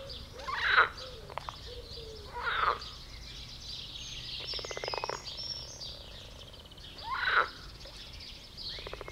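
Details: Several frogs mating in a garden pond, jumping about while croaking: loud rasping bursts near the start and end, plus a buzzy pulsed train in the middle, with faint bird chirps in the background.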